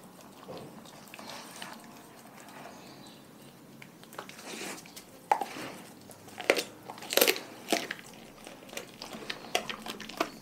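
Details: Dogs from a pack chewing raw food, soft wet chewing at first, then louder crackling crunches and bone-like snaps clustered toward the middle and end.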